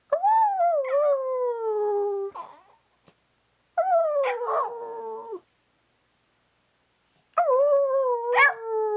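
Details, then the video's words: A dog named Maggie 'converses' with her owner, wanting cake: three drawn-out howls with wavering, falling pitch, each about one to two seconds long and separated by silent pauses. "A conversation with the Dog"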